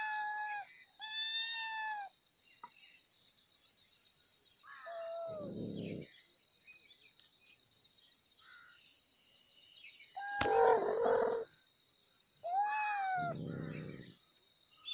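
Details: Kittens meowing loudly for their mother: bright, downward-curving meows, some in quick pairs, repeated every few seconds over a steady high-pitched whine in the background.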